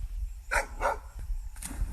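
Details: A pet dog gives two quick barks in close succession over low background rumble.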